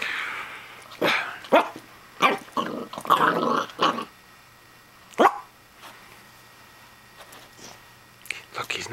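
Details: A Pembroke Welsh Corgi puppy barks at a plastic toy hedgehog, giving short, sharp, high barks in quick bursts while a person talks.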